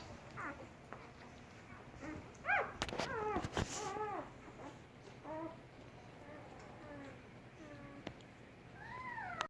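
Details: German Shepherd puppies four days old: thin, high squeaky whines and short yelps from newborn pups, rising and falling, scattered through a quiet indoor room with a few handling noises.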